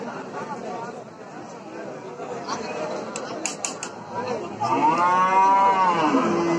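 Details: Cow sounds building from quiet grumbling and clicks into a loud, wavering moo in the last two seconds.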